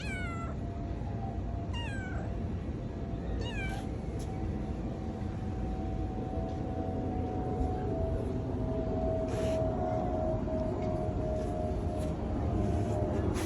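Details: Tuxedo domestic cat giving three falling, harmonic meows about every two seconds in the first four seconds, then quiet, over a steady low rumble and a constant humming tone.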